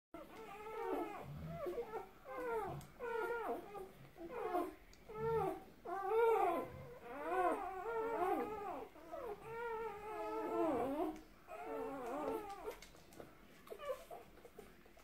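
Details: Two-day-old puppies indoors, described as liking to eat and "sing": overlapping thin, whiny squeals and mewing whimpers, rising and falling in short wavering bursts, several voices at once with brief pauses between clusters, plus soft shuffling.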